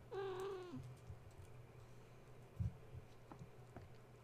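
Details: Kitten, one of Gaia's litter, wound up at bedtime after being woken when a space heater was plugged in, kittens climbing and playing while mother tries to settle them; one clear, steady meow, slightly falling at its end, then low electrical hum and faint knocks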